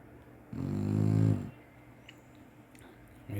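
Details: Napping Chinese Shar-Pei named Spike gives his customary snore, a single low, resonant rasp lasting about a second that builds in strength, then a quiet stretch with a faint sound at the end.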